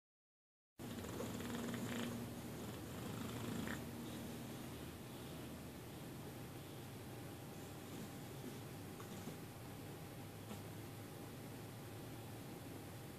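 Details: Domestic cat purring in deep sleep indoors, a soft continuous low rumble with steady rhythmic pulses throughout, a brief higher murmur near the start, faint room hiss behind.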